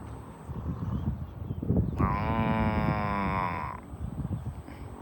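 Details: A farm cow being herded toward the barn gives a single sustained moo lasting close to two seconds, rich and even in pitch, with shuffling hoof noise before and after.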